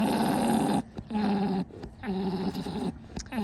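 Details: A breeding male alpaca orgles while mating with a female lying in the kush position, giving a throaty, gargling drone in repeated bursts; females are generally quiet, and his orgle attracts many females.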